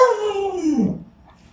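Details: Alaskan Malamute Luoluo gives a short howl that falls steadily from a higher start and fades out within a second, with a woman speaking around it.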